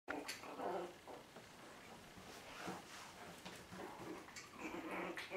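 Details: Chihuahua puppies from the 2012 litter of Mia and Bacardi giving soft, whiny whimpers, short tonal squeaks rising and falling over a quiet indoor background, with some faint murmuring.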